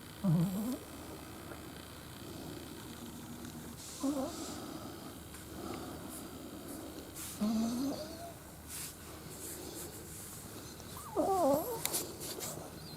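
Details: Pet Shih Tzu dog snoring soundly in its sleep, recorded January 9, 2021: short, low, rising nasal snores roughly every three and a half seconds, with quiet breathing between them in a still room.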